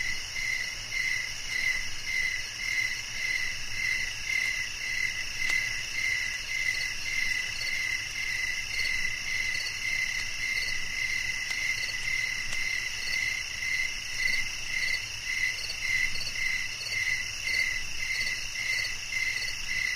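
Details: Cricket chirping in a steady rhythm: short bright pulses repeat roughly twice a second, with a higher echoing band above. A constant high-pitched insect drone sits underneath, and no other sounds break through.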